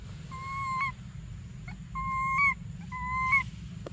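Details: Hungry baby monkey Briar crying for milk: three even, sustained whistled wails that end in a brief upward flick, roughly one per second, with soft clicks and a low hum underneath.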